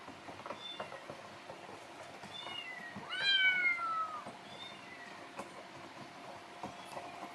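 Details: Hungry rescued kitten Happy, summer 2018, in the morning: one distinct falling meow stands out midway, with fainter softer meows around it and light background rustling and knocks.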